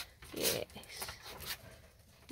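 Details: Pet ferrets playing in a rearranged indoor shed enclosure: one short, harsh burst with a low tonal core and broad hissy upper noise, followed by softer scuffling and rustling in a small room.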